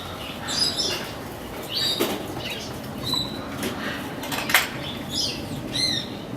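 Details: Capybara at a travelling petting zoo, met for the first time, making chirping squeaks likened to birdsong: high, thin, bird-like squeaks in short rising and falling bursts, roughly one each second, over a steady background murmur.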